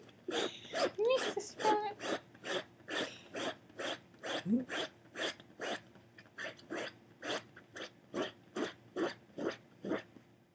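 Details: A dachshund digging at the couch for "snakes" before a nap gives short, harsh, huffing barks in a steady run, about two each second, with brief whines.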